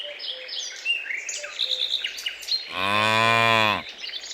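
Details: Out on a green pasture where cows search for food, one cow gives a full, rich moo of about a second, steady in pitch, after a stretch of bright bird chirps and twitters.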